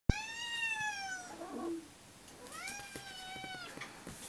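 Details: Pet cats demanding breakfast indoors give a long, drawn-out meow, steady then gently falling, followed after a pause by a second flatter meow; faint clicks and small room noise between calls.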